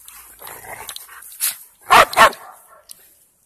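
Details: At night in a park, three dogs (Mona the Presa Mallorquín, Rocky the Rhodesian Ridgeback, Onix the Labrador Retriever) chase a ball, 2018; a soft yelp, then a loud quick double bark, then quiet.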